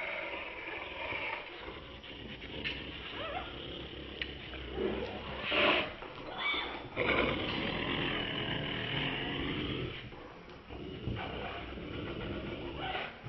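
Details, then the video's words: Two Boston Terriers, Chauncey and Dave, play tug of war, a rough game that looks like fighting. Their growling makes a raspy, noisy rumble that rises and falls, with a brief sharper snarl midway, over scuffling and handling noise. "Funny Boston Terriers Playing Tug of War, AKA Fighting"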